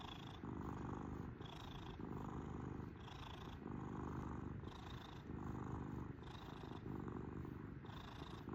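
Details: Purring pet kitten, a continuous low buzzy rumble rising and falling with its breathing, about forty breath cycles a minute, each inhale carrying a thin whistling overtone; no other sounds.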